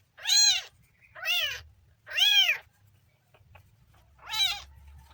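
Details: Kitten giving four loud, arched meows roughly one second apart, each bright and harmonic with a rise and fall in pitch, against a quiet background with faint low hum.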